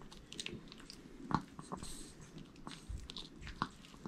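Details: Eating a whole sweet potato, Jamong the male Maltese (born December 2015, Gwangju) makes wet smacking chews with two sharper crunchy bites standing out, inside a small quiet room.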